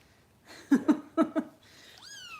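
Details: A foster kitten being bottle-fed at a Los Angeles rescue: four quick thumping knocks, then a single clear, falling meow at the very end.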